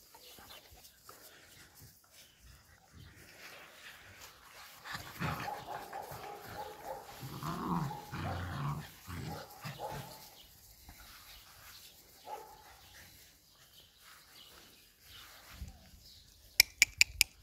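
A Rottweiler puppy gives low, rumbling growls in short bursts, then a few sharp clicks.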